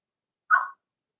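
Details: One Blenheim Cavalier King Charles Spaniel puppy in the puppy pen, from Remy's litter of two girls and four boys, lets out a single short, high-pitched yip against otherwise quiet surroundings.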